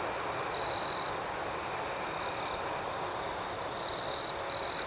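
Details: Crickets at night: a loud, high, rattling trill lasting about half a second, then a steady pulsing drone, then a second longer trill of rapid pulses near the end.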